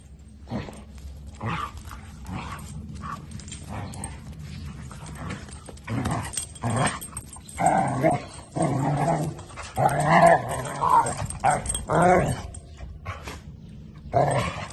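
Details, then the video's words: Ula, a dog wearing a red collar, makes noises while playing with another dog: bursts of low growls and rough grumbling vocalisations, irregular and repeated, with scuffling sounds and brief human speech in Thai. "Ula (red collar) makes noises when she play with other fur friend."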